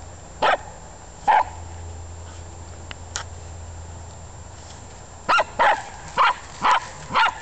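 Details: A Welsh Terrier digging the garden gives seven sharp, short barks: two early, then a quick run of five near the end, with a low steady hum between them.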